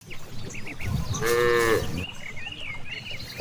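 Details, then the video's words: Cows grazing freely in a large green rice field; one drawn-out harmonic moo of under a second rises mid-clip over a steady murmur, with faint chirping birds and soft rustling around it. "the sound of cows"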